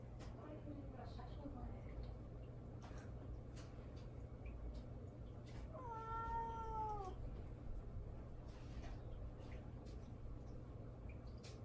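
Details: Pet cat Mamedaifuku calling for attention as its owner ignores it; one clear, drawn-out, gently falling meow midway, with quiet rustling and indoor hum around it.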